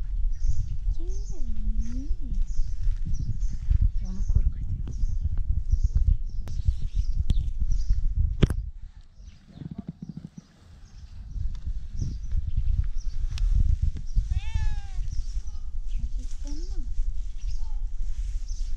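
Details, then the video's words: Tabby cat, said to be asking for food, meows a drawn-out, rising-then-falling call early on and a shorter one later, amid Turkish speech, a high chirpy burst and outdoor background ticking. "Tabby cat meowing so cute like a duck"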